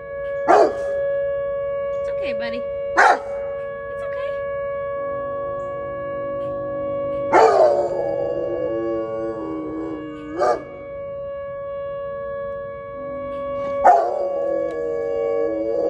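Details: Tank the dog responding to the tornado siren tested on the first Tuesday of each month: scattered sharp barks, one running into a quavering howl, repeated over about sixteen seconds against the unbroken hum of the siren.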